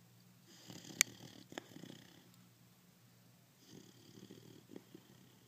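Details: Sleeping 5-month-old pit bull puppy snoring indoors: two raspy, breathy snores, each lasting over a second, separated by a quiet pause, with a brief sharp click near the start.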